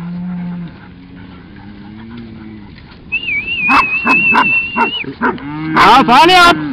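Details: Cattle being moved to another pasture by herding dogs open with a low, steady moo. A long, high human whistle follows, then short dog barks, and a final moo rises over the noise.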